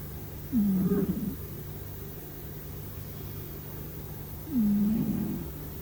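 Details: Domestic cat asleep, giving two low, raspy snores about four seconds apart, each beginning with a brief whistly squeak and trailing into a rough throaty rumble; a constant low hum underneath.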